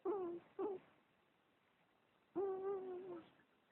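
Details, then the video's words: Weird-sounding cat mewing, recorded with bad sound: two brief clipped calls, a pause, then one longer, steady, slightly wavering drawn-out mew. "Funny cat. Weird Mew"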